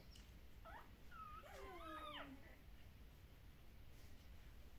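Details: Young puppies from the dog Kumi whimper during an early neurological stimulation session at a Netherlands breeder: a high, wavering, tremulous whine with bending tones lasting about two seconds, then steady low background hiss.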